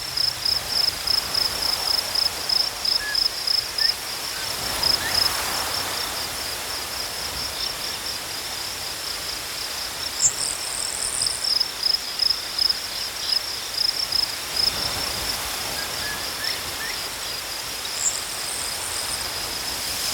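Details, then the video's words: High crickets give pulsed chirps for the first seconds, then a steadier, near-continuous trill. Brief buzzy, higher insect phrases break in twice, and a soft natural background sits underneath. "Crickets chirping sounds"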